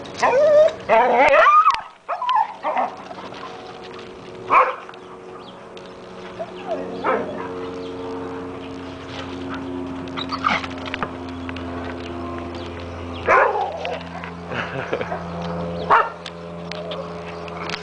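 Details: Dog chasing a squirrel around a pool, opening with a loud burst of rapid barks and yelps, then occasional single barks over a steady low mechanical hum.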